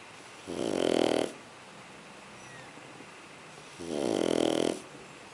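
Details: Snoring from Sugar, a sleeping Shar Pei puppy, with two strong, gravelly snores about three seconds apart, each close to a second long, and near silence between them.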